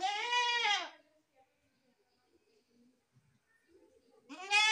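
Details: Goat letting out one long wavering bleat, then near silence with faint background sounds before a second bleat begins rising at the end.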